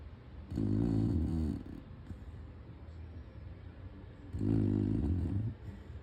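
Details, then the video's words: A Chow Chow named Abelhinha snoring indoors in a small room: two long, rough, low rumbling snore breaths, each lasting about a second and a half, separated by quiet pauses. "Abelhinha roncando 2"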